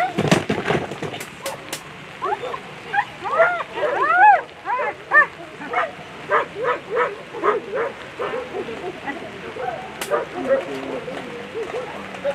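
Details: German Shepherd competing at a World Championship agility event, Tigerdyrest Clue named, letting out rising whiny yelps followed by a run of rhythmic barks roughly one per second, over arena voices and occasional thumps.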